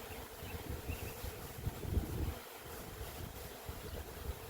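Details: Honey bees swarming out of an apiary on a windy day, the swarm flying low and settling on branches: a steady, low droning hum of many bees, partly buried under heavy wind rumble.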